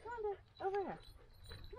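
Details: Pet standard poodle in Ketchum, Idaho, letting out two drawn, arching whines that rise and fall in pitch, the second longer, with a faint further whimper near the end and low background rumble.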